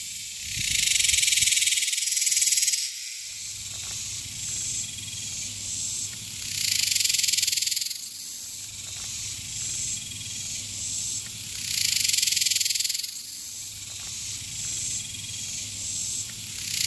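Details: A single male superb dog-day cicada, the loudest around on a summer day in Texas, sings in loud, harsh buzzing bursts of about three seconds, repeated every five to six seconds.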